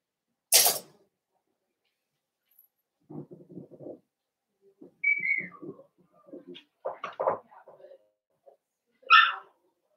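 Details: Blenheim Cavalier King Charles Spaniel puppies, a litter of five born at New Year, in an indoor puppy pen: a sharp click, then short high thin whines and a falling squeal, mixed with soft low voices and handling noises.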